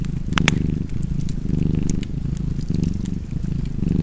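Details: Cozy cat purr by a fireplace: deep, pulsing rumble swelling and easing in breath-length cycles about once a second, overlaid by occasional bright snaps of burning wood.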